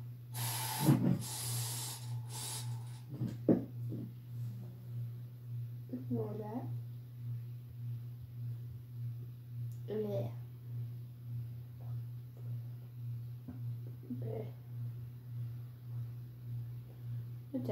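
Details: Mochi, a house cat, meowing indoors, wanting company to go downstairs; after talking and rustling at the start, three drawn-out, arched meows come about four seconds apart over a steady low hum.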